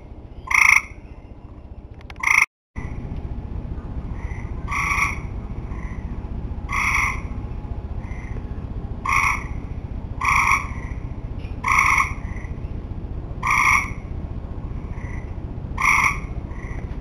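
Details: Tree frogs at the end of summer calling in a steady series of about ten nasal, harmonic croaks, roughly one to two seconds apart, after a brief cut near the start, with a low background hum throughout.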